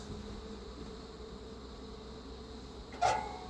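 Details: Defensive honey bee colony, feral swarm with Africanized genes, as an Italian queen is installed: an even, low buzzing drone of many bees, ending with one sharp tap or click.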